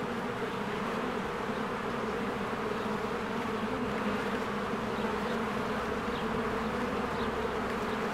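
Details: Honeybees working at a hive during spring bloom, producing a constant, layered droning buzz from many flying insects, level and unbroken throughout, with occasional faint high ticks in the background.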